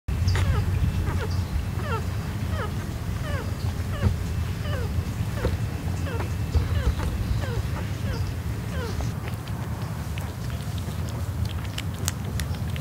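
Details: Six black Miniature Dachshund puppies suckling milk from their mother give many thin, squeaky whimpers that slide downward, over a steady low rumble.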